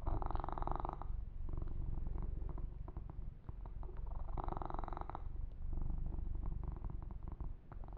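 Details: Male kitten being massaged purrs in a continuous deep rumble, while two longer bursts of hand-on-fur rubbing and scattered soft brushing strokes sit on top.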